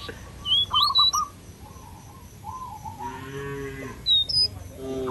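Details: Cow in a village field calling herd mates back to the barn: one sustained, slightly falling moo midway through, framed by bright chirping and whistling birds before and after.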